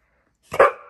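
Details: Female Pit Bull indoors, having just got her ball from under the bed, gives a single short, sharp bark with a brief echoing tail.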